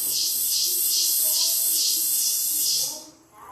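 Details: A cicada that got indoors in a house with lots of brush behind it sings a loud, harsh buzzing drone pulsing about twice a second, then suddenly stops.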